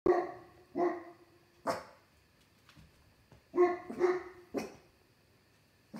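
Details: Pet dogs barking late on a summer night, one out on the deck at something unseen and another joining from indoors; short harmonic barks come singly and in pairs with quiet gaps, plus a few sharp knocks.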